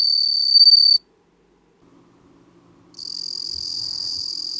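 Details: Bell cricket singing in bursts: a pure, high, ringing trill for about a second, a pause of near silence, then the bright bell-like trill resumes steadily.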